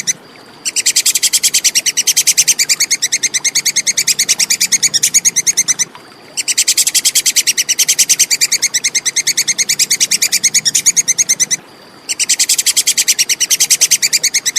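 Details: Plantain squirrel, clear recording used as tutor sound for competition songbirds: rapid, sharp, high chattering clicks repeated several times a second in long steady runs, broken by brief pauses, with a faint steady tone in the gaps.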